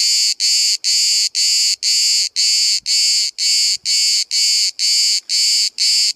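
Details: At Bodrum, Turkey, a lone cicada filmed at 5 cm distance sings a loud grating high-pitched buzz broken into even pulses, roughly two per second, with faint clicks in the background.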